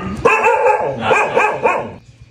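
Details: Dogs in Myanmar cared for as an act of charity; one dog gives a long, tonal, wavering bark-whine, rising and falling in three swells, then fading into quiet with a faint click at the end.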